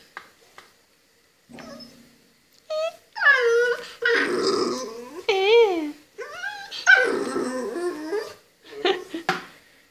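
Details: A 2-month-old American Staffordshire Terrier and Belgian Shepherd cross puppy gives short growls and then wavering whines and yips in several bursts, with a person's voice briefly heard.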